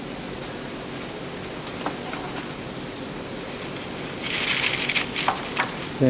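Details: Thai crickets raised for sale, brought from Hòa Bình to a Vietnamese cricket farm, keep up a constant shrill high chirr throughout, with rustling clicks in the second half and a voice starting at the very end.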